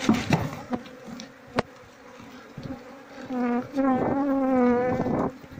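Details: Asian honey bees from a queenless colony whose comb is full of honey with no larvae. A low droning buzz swells near the end with a rich overtone stack, after sharp handling clicks and a voice early on.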